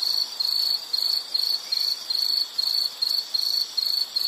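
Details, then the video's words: Insect chirping in short high bursts, about ten pulsed chirps in four seconds, each roughly a third of a second long with brief silences between. "Sound · Nature Sound of nature sounds scenery L · insect"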